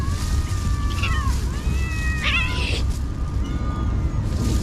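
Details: Many cats being fed by a person, several overlapping drawn-out meows with wavering, slightly falling pitch, some rising then dropping, over a constant low rumbling background.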